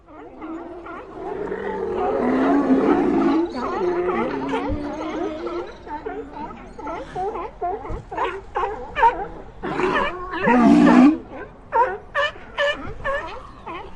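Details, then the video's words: Sea lions barking: rough, harmonic honking barks and drawn-out roars from several overlapping animals, coming in rapid irregular bursts with short gaps. "LOBOS MARINOS LADRANDO"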